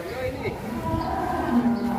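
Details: A one-ton cattle, raging and breaking out of its pen, gives a short low moo with steady tonal bands near the end, over background rumble.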